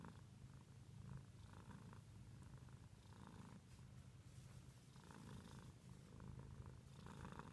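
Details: A domestic cat purring quietly indoors: a continuous low rumble that swells and fades in breath-length phrases, with soft airy bursts above it about every one to two seconds.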